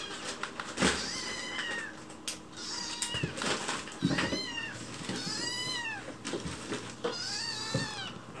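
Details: Chicchi, a white rescued kitten found alone, begs sweetly for food while someone is in the kitchen, expecting a meal. Indoors: about five high, arching meows with rich harmonics, each rising then falling, between light taps and household clatter.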